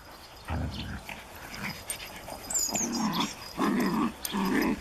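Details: Japanese Chin puppy playing with a Collie: short low growling bursts and a yip, scattered irregularly with quiet gaps between, growing more frequent toward the end.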